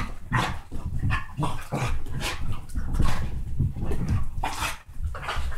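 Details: Playful Basset hound and Dachshund mix dogs wrestling; deep rumbling growls broken by short sharp bark-like bursts roughly every half second, with scuffles and panting throughout.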